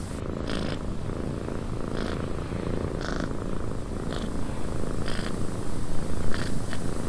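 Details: Quiet, continuous cat purring recorded in a windy cabin, a low vibrating rumble with wind hiss overhead and regular short bright bursts about once a second.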